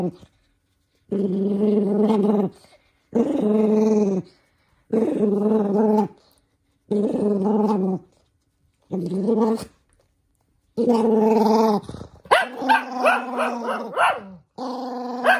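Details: Toy poodle Minato, angered by having socks put on. A regular series of steady moaning growls, each about 1.3 seconds with short silences between, then a burst of yelping, snapping growls at the end.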